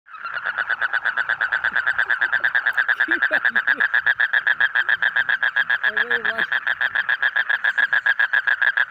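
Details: A frog gives a long, unbroken run of rapid, evenly pulsed croaks, a buzzy rattling trill held steady at mid pitch throughout, with a few faint low tonal sounds in the background around the middle.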